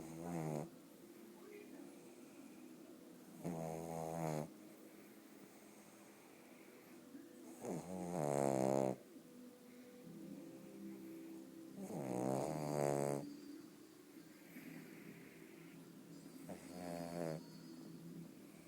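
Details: Bóris the pug snoring in his sleep: five rough, droning snores, one roughly every four seconds, each swelling and fading, with soft breathing between them in a quiet room.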